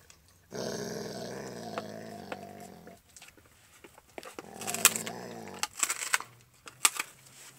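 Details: Max, an Alaskan Malamute, gnawing a raw bone: a long, steady, deep rumbling growl of about two and a half seconds, then a second shorter growl broken by loud cracks and crunches of chewing.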